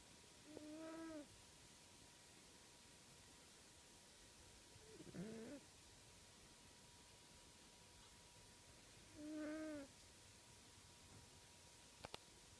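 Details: Uncle Stitch, a house cat and heavy breather, snores while asleep in a room corner, loud enough for people watching TV to hear. Three short, whistly, tonal breath sounds, each about a second long, come roughly every four seconds over a faint steady hum.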